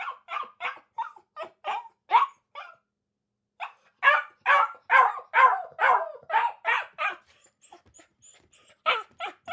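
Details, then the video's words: Barking dog: bursts of sharp barks, a short pause, then a louder run of barks fading into softer yips before a final few barks. "dog sounds | dog |dog sound effect | puppy |barking dog | dog sound angry | dog sniff | dog bark"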